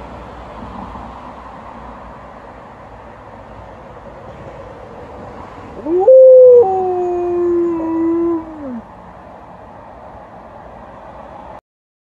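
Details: Alaskan Malamute during a walk, a background hiss at first, then one short loud howl about three seconds long that holds steady and then slides downward and fades.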